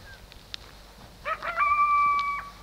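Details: Coyote at dark giving a short rising yip that turns into a steady, high sustained howl lasting about a second, with faint clicks and rustling before it.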